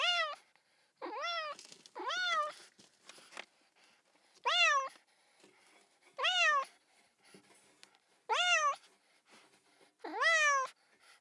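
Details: Young domestic cat meowing insistently, seven high harmonic calls, each swelling up then sliding down, coming every one to two seconds against a faint background.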